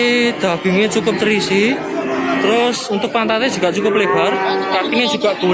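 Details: Cattle at the Babat cattle market in Lamongan, East Java, on Tuesday 29 September 2020, with cows, calves and pregnant heifers on sale. Drawn-out, steady low lowing runs beneath constant crowd chatter and men talking close by.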